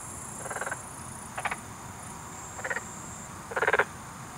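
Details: Black-spotted pond frog (Pelophylax nigromaculatus) calling in Korea. Four short, separate bursts of rapid rattling pulses, the last one longest and loudest, over a steady background hiss with a thin high-pitched whine.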